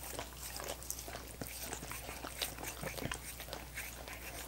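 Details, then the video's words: Wet, rapid tongue laps from dogs working at coconut water popsicles: crisp sticky clicks, some sharper smacks near the middle and end, over a faint constant background hum. "ASMR Dogs Licking Coconut Water Popsicles"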